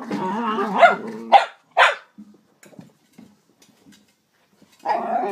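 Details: Jack Russell Terrier in a funny compilation of pet dogs, giving a quick run of three harmonic, rough-edged barks in the first two seconds. Then come near silence with faint small noises and a final longer, whining bark.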